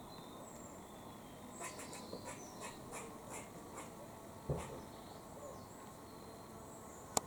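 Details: A squirrel in Cambridge, UK, on 17 October 2020 gives a run of short, harsh chucking warning notes, repeated several times a second.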